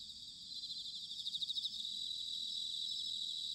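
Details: Autumn night chorus of bell crickets from Sanuki, Chiba, Japan: high ringing trills, with one singer's pulsed phrase rising and fading in the first half before a steady shimmering wash continues.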